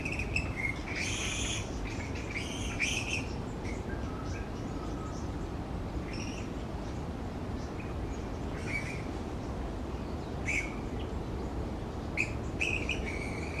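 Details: Roosting colony of grey-headed flying foxes hanging upside down on branches; scattered brief, sharp squawks and screeches come at irregular intervals above a constant low rumbling background.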